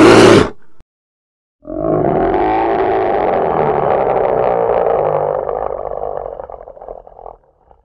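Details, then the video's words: Polar bear giving a long, rough, harsh roar that holds steady for about five seconds before trailing off, preceded by a brief burst of hiss and a moment of silence. "Polar Bear 1 Hour Sound"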